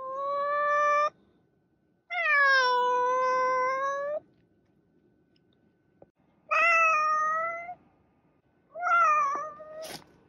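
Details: Domestic cat giving four drawn-out harmonic meows across ten seconds, the second one longest at about two seconds, the last with a wavering, slightly strained edge; quiet background between calls.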